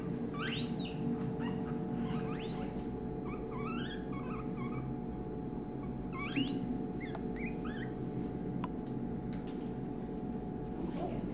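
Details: A male red panda cub about one month old (born 9 June), hand-reared in a veterinary hospital, utters shrill, whistled squeaks that rise and bend in short clusters every couple of seconds, over a steady low hum and indoor background noise.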